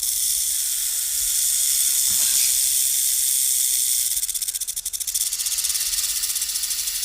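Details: A snake hissing: a steady, airy, high-pitched hiss runs without a break, turning into a rapid pulsing flutter in the last few seconds.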